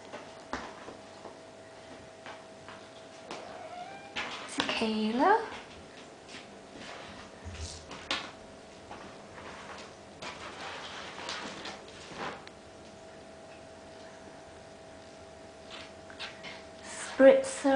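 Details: Eight-and-a-half-week-old Bengal kittens from Ariel and Sambuca's litter at play inside; one short wavering meow near the start, then long stretches of soft rustling, scattered taps and a faint squeak at the end.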